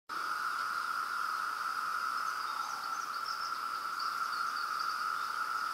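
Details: A massed chorus of thousands of cicadas in Pennsylvania makes a steady, unbroken droning whine with a thin, higher hiss above it.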